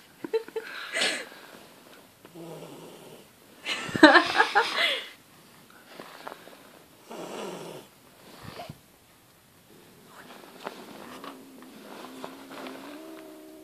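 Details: Angry female house cat, disturbed while dreaming, making hissing bursts, one loud rasping blast near the middle, then softer breaths and a low drawn-out growling tone toward the end.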